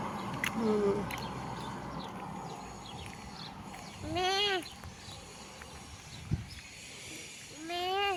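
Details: Sheep seen in front of a house at a sheep farm: two wavering, harmonic bleats, one at about four seconds and a longer one near the end, with children's voices and light background noise.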